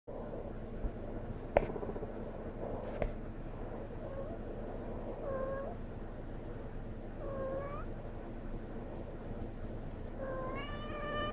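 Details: Pet cat, female, whining after her play laser disappears, wanting attention so it gets turned on again; short, thin, bending meows at intervals, the last one longer and louder, over a low steady indoor hum with a few clicks.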